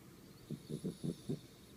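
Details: Miniature schnauzer living in Nakano ward, snoring while asleep: five short low rumbling snores in quick succession, each a soft nasal burst, over quiet room hiss.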